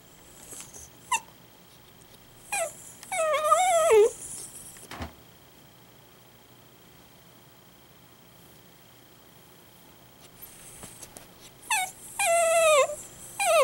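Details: An Italian greyhound, kept indoors as a pet, suddenly crying loudly: two bursts of high, wavering whines with falling, harmonic-rich tones, separated by a quiet stretch and a single sharp knock.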